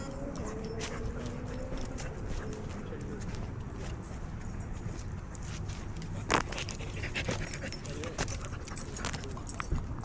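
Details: Dog at a busy dog park giving a thin, high whine with drawn-out wavering tones over the first three seconds, then quieter under steady outdoor murmur, with a few sharp knocks and distant voices.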